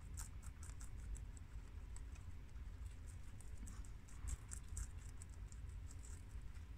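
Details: A group of four pet guinea pigs of American, mini Yak and Abyssinian breeds eating freshly washed romaine lettuce; sharp crunchy snaps repeat several times a second over a low rustling background, louder bites near the middle.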